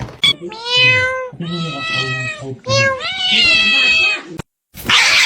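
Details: Cat calling three times in long, strained, harmonic meows, the last one stretched and rising before falling away, ending in a burst of noise.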